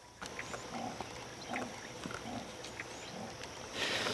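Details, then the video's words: A leopard calling in the distance at Londolozi, South Africa, gives a series of hoarse, rasping grunts about every half second; the call may have made other animals change direction. "you can hear a leopard calling in the distance so maybe that's what's caused them to divert and change their direction"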